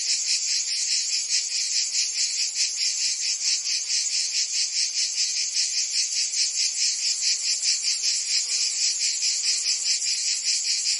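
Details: Cicadas singing in summer in Provence, France: a dense, continuous high buzzing chorus pulsing steadily about twice a second, with no other sounds standing out.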